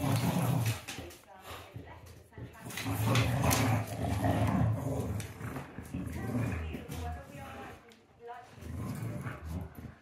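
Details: Play growling from an English Bulldog and a Beagle during a tug of war game, a low continuous rumble rising and falling in waves, with human voices talking over it.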